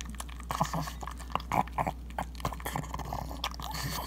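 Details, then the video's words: A female pug eating a ground beef breakfast, recorded on an iPhone 7; rapid wet chewing and smacking with snorting grunts in irregular bursts throughout. "Pug Devours Ground Beef (Crazy Sounds)"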